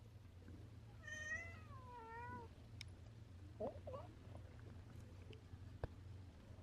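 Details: Orange tabby cat meowing after giving up on a squirrel hunt: a drawn-out wavering meow near one second, followed by a second falling, slurred meow, then a few short faint chirps; steady low hum underneath.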